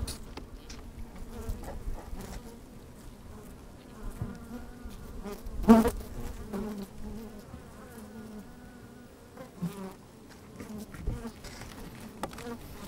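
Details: Honey bees at work inside an opened hive on a fine, sunny day, recorded with a microphone slid down among them: a steady low hum with harmonic bands, rising into a loud buzzing burst near the middle, plus crackling movement.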